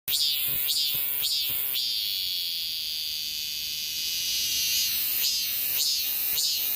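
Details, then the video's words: Cicadas in 2023, a dense high-pitched buzzing drone running throughout, cut by loud rhythmic pulsing calls repeated about twice a second that pause mid-clip before resuming. "2023매미 매미소리"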